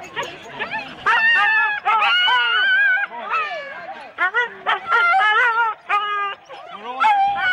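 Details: Excited Husky sled dogs in four-dog teams at a race start, Rendlesham, January 2016: loud, rapid overlapping yelps and high wavering barks with strong harmonics, a chorus of many dogs with brief gaps.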